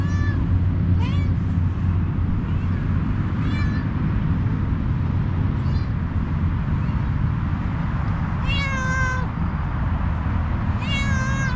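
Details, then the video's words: Kitten meowing outdoors among stray cats, several harmonic meows near the start and two louder, longer drawn-out meows late on, over constant low rumbling traffic-like background noise. "Very amazing kitten with cute meowing."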